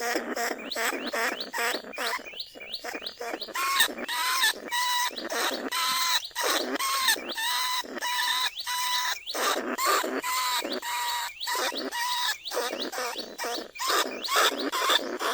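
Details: A lesser bandicoot rat, caged in a trap at Na Lao, Nong Khu Phai paddies, calls other rats in a live recording. Dense, continuous chatter of rising chirps and nasal squeals repeats about twice per second throughout.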